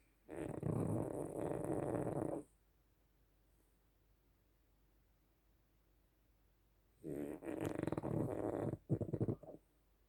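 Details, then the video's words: A dog snores like a bear, drawing two harsh, vibrating snores of about two seconds each, with a long silent gap between them and a brief snort at the end. "собака храпит как медведь"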